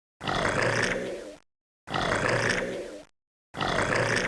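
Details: Crocodile giving harsh, rasping growls, each lasting just over a second and repeated three times with short silent gaps between identical bursts.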